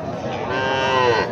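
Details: A Sahiwal bull calf at the busy Raniganj livestock market, Dinajpur district, gives a short rich moo, its tone swelling then gently falling over about a second, with market crowd noise underneath.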